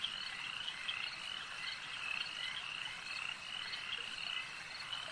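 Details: Lakeside frog croaking, many callers together forming an unbroken shrill chorus with frequent short overlapping notes, evenly loud over the whole stretch and nothing else standing out.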